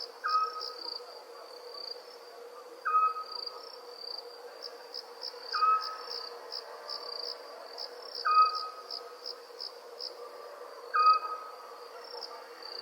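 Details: Night ambience of crickets with owls in the background: continuous high pulsing chirps form an unbroken buzzy band, punctuated by a brief whistled call recurring roughly every two and a half seconds, five times.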